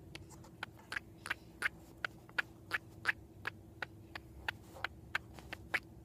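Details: Indoor female pet cat, possibly dreaming, producing the strange sound she also makes at squirrels seen through a window: a fast, fairly even run of crisp clicks, roughly three per second, with a faint room hum beneath.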